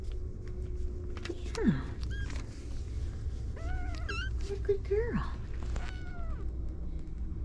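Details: Kittens with an adult cat, giving several short meows that rise and fall, some sliding steeply downward, scattered over seven seconds above a steady low hum and faint human speech.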